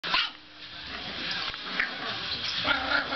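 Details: Dog (Canis familiaris) gives a few short, sharp, high-pitched barks as an 8-week-old English bulldog puppy plays with a Boston terrier, with a person speaking.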